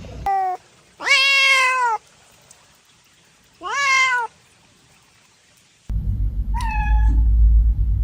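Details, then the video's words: Domestic cat meowing: a short meow, then a long drawn-out meow and a shorter one a few seconds later. A loud low rumbling noise sets in near the end, with one more brief high meow over it. "Cat Sounds"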